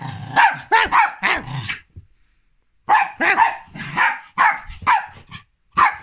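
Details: Rua, a Jack Russell Terrier, barking after a big zoomie: two bursts of sharp, harmonic barks with rising-falling yelps, four quick barks, a pause of about a second, then another volley of six or seven.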